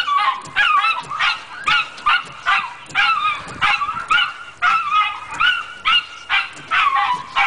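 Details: Dog named Chester barking at moving windshield wipers: rapid, shrill yapping barks, roughly two a second, each sharp and slightly whining, in an agitated unbroken string.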